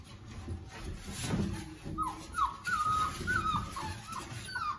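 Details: Rhodesian Ridgeback at a kennel whimpering just before feeding time: a run of short high whines rising and falling, bunched together over the last half, with some low rumbling and handling noise beneath.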